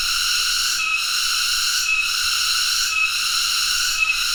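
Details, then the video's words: Loud, unbroken shrill drone of a cicada (tonggeret), its high buzzing tones briefly dipping about once every second, steady throughout. "tonggeret (Cicadidae) sound Effect"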